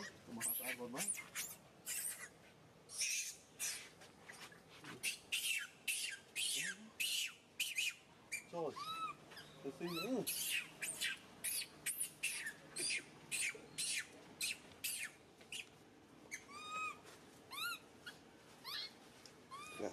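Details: Crying baby monkey SUCA, hurt when SUSAN grabs him: loud stream of piercing squeals, choppy screeches and curved whining yelps, some lower wails, keeping up with brief gaps throughout.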